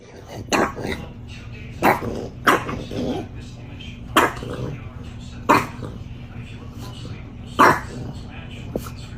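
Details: Female dog excited by her first snow, giving sharp, short barks spaced about one to two seconds apart, six in all, with a person talking to her between barks.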